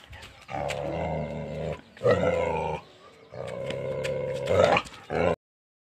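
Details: Angry Tibetan Mastiff giving long, deep, harmonic growling roars in three drawn-out bursts of one to two seconds each, with a short harsh outburst at the end before silence.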